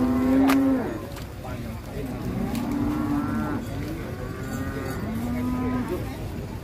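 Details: Bimasakti, a fat bull unloaded from a truck, lows repeatedly: a loud moo at the start followed by several flatter, drawn-out moos about two seconds apart, over a murmur of voices.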